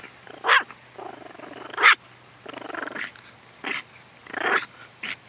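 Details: Eve, a pet long-haired toy Chihuahua, guarding at home indoors: low rumbling growls broken by sharp, high barks, about five bursts in quick uneven succession.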